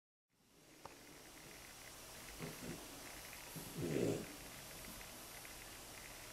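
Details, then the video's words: Two French Bulldog puppies, aged 9 months and 9 weeks, snore comfortably in their basket, with soft, rough, rattling breaths rising and fading. "Snoring French Bulldog puppies"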